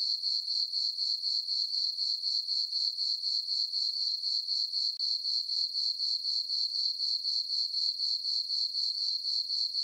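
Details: Crickets chirping on a summer night in a farm meadow under a full moon: a steady, high, pulsing trill of about four chirps per second, very even, with no other sounds.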